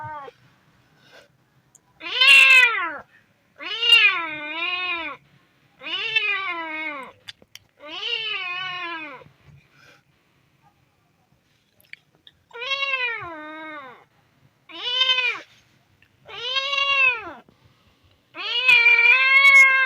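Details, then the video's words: Hungry kitten giving about ten arched meows, each rising then falling, spaced roughly one to two seconds apart with a short pause midway; close, clean recording with little background noise. "Hungry Kitten meows Kitten Meowing Sound Effect"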